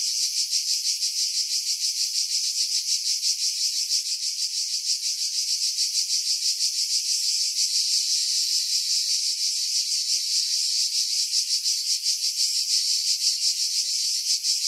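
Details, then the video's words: Pine-tree cicadas at Pefkos Bay, Skiros Island, Greece, in July 2018, about 50 m above the sea: a loud, high, electric-sounding buzz beating in fast regular pulses, roughly three a second, with bass filtered away. "Cicada Sounds, July 2018 Skiros, Greece"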